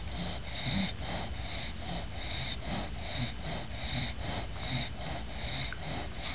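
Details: An English bulldog, exhausted after her bath, snores with her eyes open in steady, raspy, snorting breaths, more than once a second.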